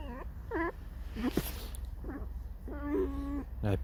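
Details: Alice (Alisa), a pet red fox, creaking and singing a mournful song indoors: a run of about seven short, harmonic whines, several swooping downward, ending with a longer level whine and a final quick rising squeak.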